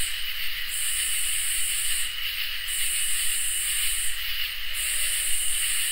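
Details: Crickets and katydids on a summer night: an unbroken high-pitched cricket trill with three long, sizzling katydid bursts that start and stop sharply, the last beginning near the end.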